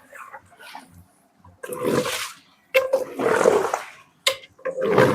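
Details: Dogs at a dog-farm kennel give loud, harsh barks in three or four bursts over five seconds, each burst about half a second to a second long with short gaps, and quieter voices and rustling between them.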